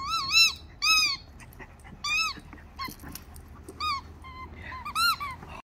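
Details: Female Rottweiler puppy named Lily during obedience training with food and a toy: a run of high, wavering whines with rich overtones, about six short bursts in under six seconds, some rising and falling, over a faint low hum.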